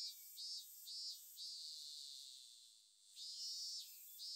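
A robust cicada sings in high, hissing buzzes, pulsing in short bursts before holding one long drone.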